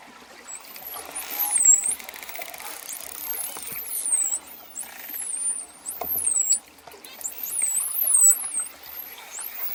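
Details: Dolphins heard through ocean ambience: many looping, very high whistles repeat across the stretch, some dipping and rising in quick hooks, over scattered clicks and a low hiss.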